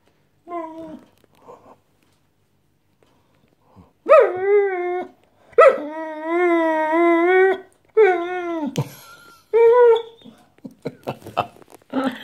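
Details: Attention-seeking house dog that seems to try talking to its owner: a series of long, wavering whines and yowls, some rising then sagging, separated by short pauses and ending in scuffling, clicking noises.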